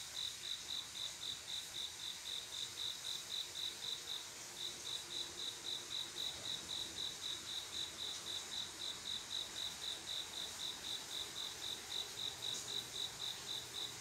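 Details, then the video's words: Night-time cricket in summer, a male calling to draw a female for mating: a long run of high, rhythmic chirps near four per second, one brief pause near the start, faint insect hiss behind. "조용한여름밤 귀뚜라미소리"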